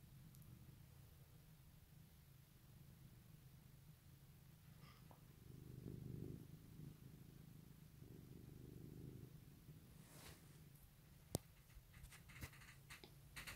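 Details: House cat purring on an Easter 2018 morning, a low continuous rumble that swells in the middle, followed by several sharp clicks and rustling near the end.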